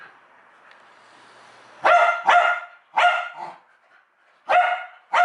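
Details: Pet dog barking in reaction to the sound of a USB plug being plugged in or unplugged: a hesitant soft start, then five loud harmonic barks in pairs and singles about half a second to a second apart, indoors.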